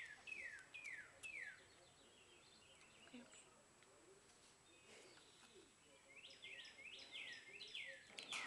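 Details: Baby squirrels being hand-fed with a syringe give high, thin squeaks that slide steeply downward, in a quick burst at the start and a denser run of about six near the end, over faint background hiss.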